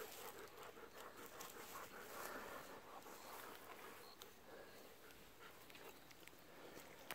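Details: Evening walk with a Golden Retriever begging for still-unripe persimmons: steady, rapid panting, about two and a half breaths per second, soft and breathy against quiet outdoor background.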